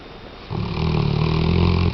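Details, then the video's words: Weimaraner named Tchesco snoring indoors: after a quiet breath, one long, low, rumbling snore swells and holds steady for well over a second with a buzzy, vibrating drone before fading. "Weimaraner-Tchesco Roncando"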